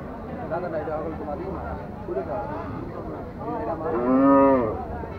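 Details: Cattle at a crowded haat cattle market in Bangladesh. Steady chatter from many people fills the clip, then one loud, rich moo swells near the end, bending up and then falling.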